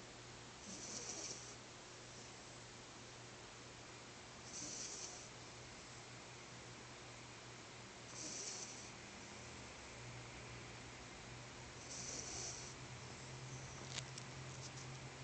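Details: Four-month-old French Bulldog puppy napping at a workplace, snoring softly: faint hissing breaths recur about every four seconds over a steady low electrical hum.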